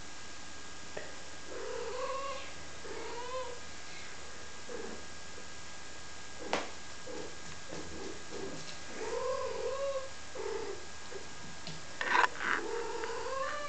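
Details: Five-week-old domestic kittens, recorded April 7th 2011, mewing repeatedly with arched, tonal cries, several overlapping, plus a sharp click and a louder squeal near the end over a constant low hum.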